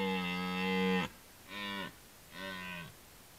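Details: Red deer in the rut gives a roar sequence: one long, steady bellow of about a second, then two shorter, falling groans, each about half a second long, spaced roughly a second apart.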